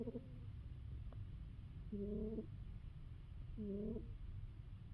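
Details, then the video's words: A dozing female cat snores: low steady rumble under a faint whistle at the outset, then two nasal whistled notes roughly two seconds apart, each about half a second, keeping time with her breaths. "Cat snoring"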